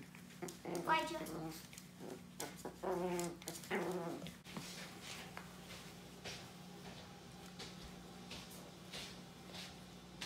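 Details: An annoyed teacup Chihuahua, a tri-color dog of about 3 lbs, lets out whiny, harmonic grumbling bursts during the first four seconds. Quieter room hum follows. Soft handling noises are heard, and a woman speaks Vietnamese right after.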